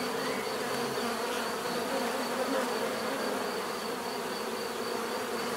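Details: Dense hum of bees, a continuous droning buzz with slight swells in loudness, several overlapping insects blending into one even sound, a thin high tone lingering faintly.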